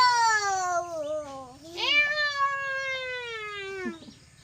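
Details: Angry cat in a village giving one long descending meow that dips low, then a sharp upward break into a second sustained, slowly falling wail.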